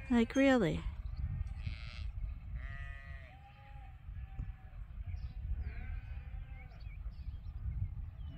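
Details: Sheep at Ewetopia Farms during a morning pile-up, waiting to be let out to pasture: one close, wavering, quavering bleat opens, followed by fainter bleats from the flock over a low rumbling background.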